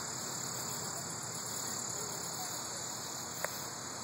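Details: A cicada's steady, high-pitched buzzing drone continues without a break on 11 August 2012, with a soft rumble underneath.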